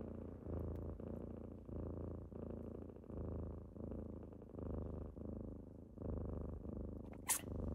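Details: Morning purr from kittens rousing their owner: a low throaty rumble swelling and fading in regular breaths about every second and a half, ending with a brief scratchy rustle.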